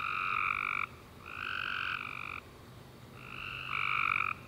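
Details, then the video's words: After a warm rainy summer day, tree frogs sing at night in three buzzy, harmonic chirps, each lasting about half a second to a second with short silent breaks, over a faint low hum. "Tree Frog Chorus After A Warm Rainy Day - 10 Hours Tree Frogs Chirping You To Sleep"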